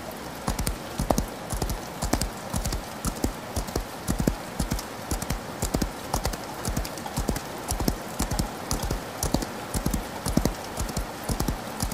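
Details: Horse galloping in rain, with a long run of low, drumming hoof impacts in rhythmic clusters, steady in pace throughout, and a broad wash of falling rain behind them.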